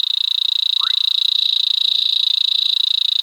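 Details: Natal leaf-folding frog giving a high, dry, rapidly pulsed trill held steadily, about three to four pulses a second, with one brief rising chirp partway through; resembles a brown-backed honeybird.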